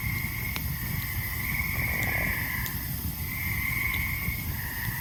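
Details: Loud tree frogs calling all around a peaceful summer evening campfire in the forest near Ricketts Glen; high, drawn-out trills swell in two long runs of over a second each above a steady low rumble and occasional sharp fire crackles.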